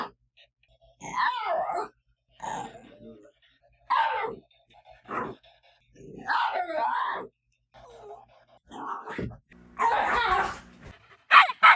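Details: Male pet dog indoors, said to rarely bark but to make a lonely-sounding, yell-like cry when reacting to other dogs or noises; loud harmonic wails of about one second, repeated with short silent gaps.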